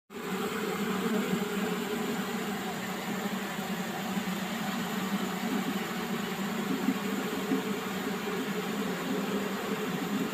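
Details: Honey bees at a beehive, a dense unbroken droning hum of many wings holding steady throughout, low and full with no pauses.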